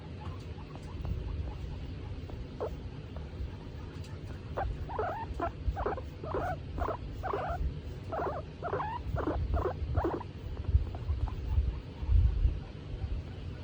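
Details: Being stroked and content, female skinny pig Tomato makes quiet scattered sounds at first, then a clear burst of about a dozen quick, rising chirpy squeaks in a row, fading to soft rumble.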